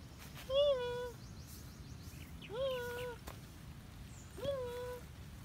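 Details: Cat wanting to play meows three times about every two seconds, each call a short rising-then-level tone, with faint bird chirps and light outdoor noise behind.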